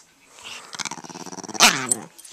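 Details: Italian greyhound growling aggressively at its owner indoors; a short rising pulsed growl ending in a loud sharp snarl.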